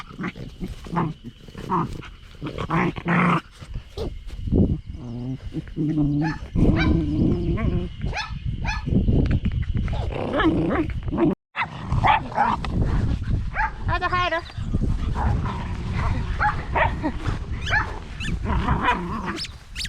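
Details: Two bulldog puppy sisters: boisterous Pansy plays with energy while gentler Daisy struggles to keep up and sulks. Indoors, the pups give rough harmonic growls and short yips, some with rapid wavering, over background music and occasional human voices.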